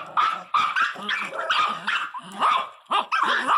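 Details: Miniature Pinscher named Teco, indoors and acting fierce, gives a run of sharp high yapping barks and yips in quick bursts with short gaps, while a woman talks over it.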